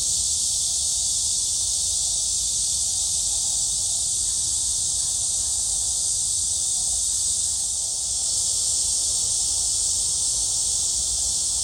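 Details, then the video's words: Cicadas at Gwangalli Beach produce a relentless, shrill, buzzing chorus that stays steady throughout. A soft low rumble murmurs in the background. "잠자리와 매미소리"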